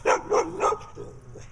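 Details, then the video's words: Female dog with black eye patches keeps returning to bark in a yard during weeding; three loud, evenly spaced barks about a quarter second apart, then two fainter trailing barks. "Dog with Black Eye Patches comes back and barks some more."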